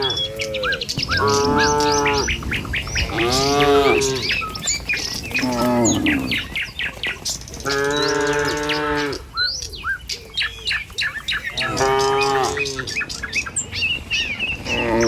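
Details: Dozens of tame cattle file along a village road to their pen in the morning, lowing repeatedly: four long, rich moos roughly every three to four seconds, each swelling and fading, over constant chirping of birds nearby.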